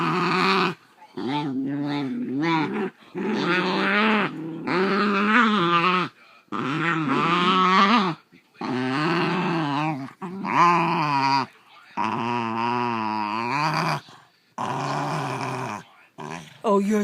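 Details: Two Basenjis nearly fighting at home over a toy one wants to take; a series of rumbling, wavering growls in about a dozen bursts, rising and falling in pitch, with a woman's soothing voice between.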